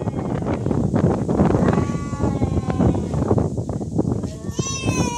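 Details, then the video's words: Cats fighting for real: thin, tonal yowls surface partway through and end in a rising, wavering howl, mostly buried under heavy wind and rumbling background noise. "Real cat fight |Fighting cats|"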